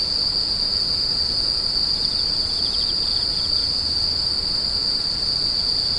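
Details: Unbroken high-pitched insect shrilling at a steady level, with a brief softer lower buzzing patch midway and faint low background noise.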